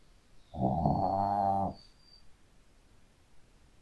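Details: Sleeping Shih Tzu dog snoring indoors: one loud, rough, harmonic snore lasting about a second, followed by quiet breathing.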